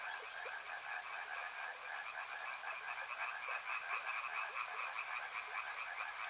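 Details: Massed frog voices at a river, quick rattling croaks repeated over and over from many animals at once, set against a soft continuous water noise.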